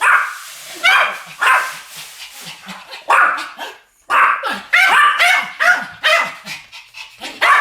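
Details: Two Pomeranians barking together in a duet, bursts of high-pitched yaps in quick uneven clusters with brief pauses between volleys.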